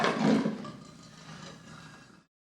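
A lion gives a single deep, rough roar that bursts out loudly and then fades into a rumbling tail.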